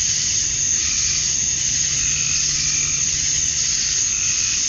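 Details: At dusk on a Georgia summer evening, male cicadas sing to attract females, forming an unbroken shrill sizzling wall of sound with faint lower droning notes that swell and fade underneath.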